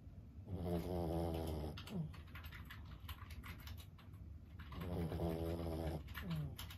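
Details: Lulu, a 15-year-old senior Boston Terrier, snoring while asleep indoors: two long low rumbling inhalations a few seconds apart, each followed by a short rasping exhale, with faint clicking in the background.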